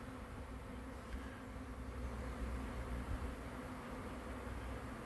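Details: Swarming bees on May 9, 2023, heard from roughly 20 feet: a thick, unbroken low buzz with a deep humming undertone that swells slightly in the middle, bees clinging together and dropping off.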